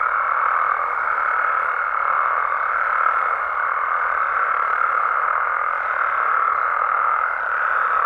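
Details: Nighttime amphibian chorus of frogs and toads in Mexico: continuous, thick trilling from many callers blends into one steady mid-pitched drone, with a faint higher steady tone above it until near the end.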